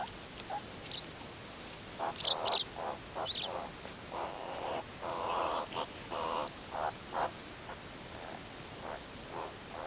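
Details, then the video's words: Wild, free-living meerkats of the Ungulungu group grooming and huddling together at sunset before sleep, recorded from a low angle; short, hoarse, midrange calls come in irregular bursts, some overlapping, with faint higher chirps between. "MEERKATS GROOM AND HUG AT SUNSET ☆ MEERKAT WHITE NOISE ONLY"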